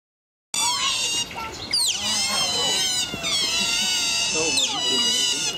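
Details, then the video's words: Otters screaming together at the Berlin Zoo, a nonstop chorus of shrill, piercing squeals that rise and fall and overlap for the whole stretch, with no gaps of quiet. "screaming otter / schreiende Otter"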